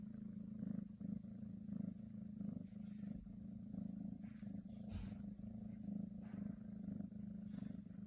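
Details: Black silver Scottish Straight cat purring steadily, a low continuous rumble with soft rhythmic pulses through the whole stretch, a few faint higher clicks and rustles above it.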